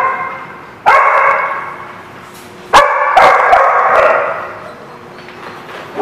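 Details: Dog barks come in two loud bursts about two seconds apart, each a cluster of sharp ringing barks that fades into quieter background yapping.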